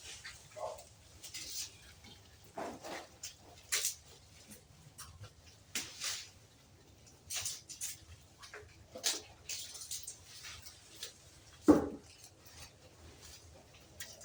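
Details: Advanced-breed goats kept on a farm; mostly quiet pen noise with scattered clicks and thuds, then one loud, strained bleat near the end, with faint voices in the background.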